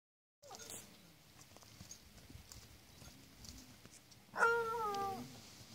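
A miniature donkey gives a single short, soft bray, a tonal note sliding gently downward.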